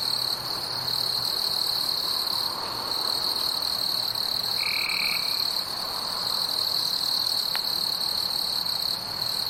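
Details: A forest at night carries a bright, steady insect drone with higher faint bands, broken only by one short, level, lower tone near the middle and a brief click later on.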